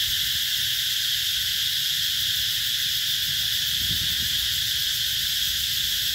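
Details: At Mỹ Luông, Chợ Mới district, An Giang province in the Mekong Delta, 2021, cicadas call in summer. A relentless piercing electric buzz, evenly loud and slightly throbbing, runs from start to finish.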